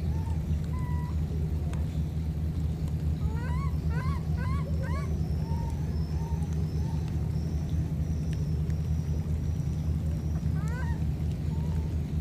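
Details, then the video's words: Separated by a flood, two baby monkeys call back and forth: a quick run of four rising, harmonic cries around three to five seconds, scattered softer notes, and another upswept cry near eleven seconds, over a constant deep rumble. "Calling each other, these two baby monkeys were separated because of the flood"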